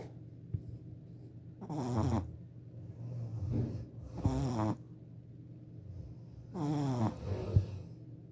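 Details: A 4-month-old male Shih Tzu puppy snores while asleep, in rough, rattling bursts about every two to three seconds.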